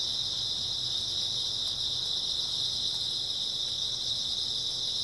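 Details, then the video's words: Unbroken high, shrill chirping of grass insects on an early autumn night, steady and uniform throughout with no other clear sounds. "풀벌레 소리"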